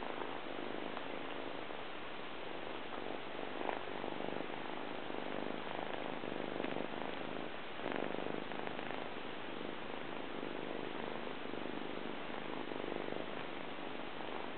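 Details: Persian cat, a shy male, purring while rolling around on his owner's tummy indoors; a steady, low, rumbling purr runs unbroken throughout with a soft, pulsing texture and slight louder swells.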